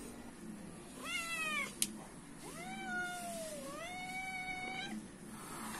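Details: Stray cats begging for food outside a house: three clear harmonic meows, the first short and arched, the second long and drawn out with a dip, then a third rising one, plus a single sharp click.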